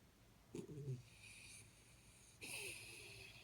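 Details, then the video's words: Jaxie, a Jack Russell Terrier, asleep indoors: a short low snort-like breath, then a long airy, hissing breath with a faint whistled edge, all quiet against a steady low hum. "Jack Russell Sleeping & Jack Russell Snoring"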